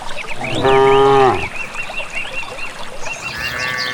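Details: One deep, harmonic moo under a second long from a herd of village cattle heading to a grassy field, followed by a steady series of bird chirps.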